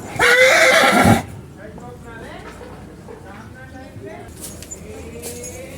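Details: Indian horse in a playful mood, calling out again and again: one loud, shrill, quavering whinny lasting about a second, then quieter voices of people talking.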